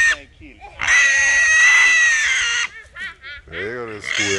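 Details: Small wild boars, three caught together in a small trap, give a long, loud, shrill squeal of nearly two seconds with a steady pitch. Brief softer grunting cries come before it, and shorter wavering squeals follow.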